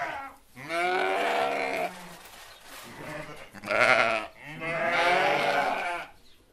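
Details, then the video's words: Sheep, herded alongside goats, give three long, tremulous bleats, each about a second or more, separated by short quiet gaps; the last is the fullest and most wavering. "Sheeps, goats and their sounds"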